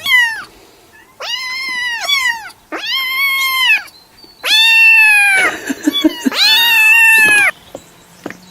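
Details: Cat giving a run of long, loud, strained meows, several flat drawn-out cries in quick succession, the later ones harsher and wavering like a caterwaul.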